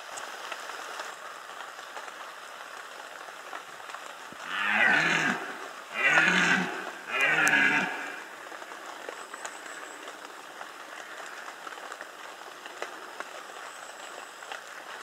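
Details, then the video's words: Red deer in rut, Bieszczady, 2015, delivering a burst of three throaty roars in quick sequence midway through, rough and bellowing, followed by quiet background hiss. "Rykowisko 2015 Bieszczady - Red Deer rut"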